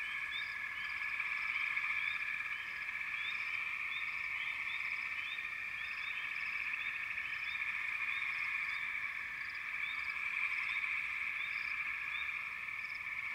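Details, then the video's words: Frog chorus from a backwater: a dense, steady wall of overlapping high trilling with short upward chirps scattered over it, continuous and even in loudness throughout, with no other sounds. "FROGS - Pig Frogs, Water Frogs, Backwater Chorus, & Frog Chorus"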